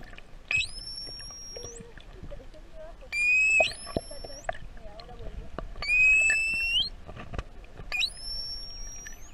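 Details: Curious juvenile pilot whale off Tenerife, Canary Islands, answering back to human whistles, recorded underwater with a hand-immersed GoPro: four bright upswept whistles, rising sharply then levelling, roughly every two and a half seconds, over sloshing water noise.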